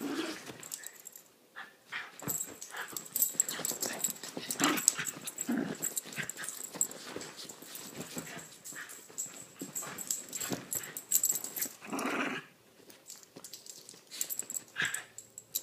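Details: During a rare play session between two little dogs, blonde Chiweenie Lilah and Rat Terrier/Chihuahua cross Minnie, continuous growling, panting snorts and wrestling noises rise and fall, with a brief lull near the end.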